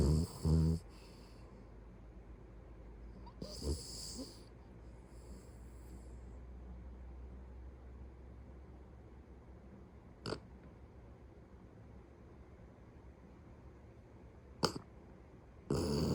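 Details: Beagle asleep at home, snoring heavily. Loud breathy snores with hissing high tones and a low rumble come near the start and around four seconds, then quieter low breathing with a few sharp clicks, and another snore at the end.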